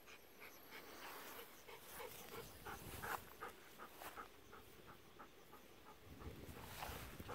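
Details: Golden Retrievers, an eleven-year-old sister and ten-year-old brother, relaxing in a rice paddy on an evening as it cools. Quick, soft breathy pants repeat at a steady fast rhythm, faint under a wide outdoor hiss.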